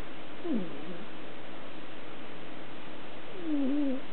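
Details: Sleeping female house cat snoring at night: two drawn-out, wavering nasal snores, each sliding downward, about three seconds apart over a steady low hum.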